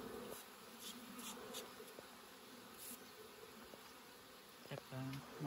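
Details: Honey harvest with bees humming in a continuous low drone, joined by intermittent tapping and handling noises, with a brief louder knock near the end.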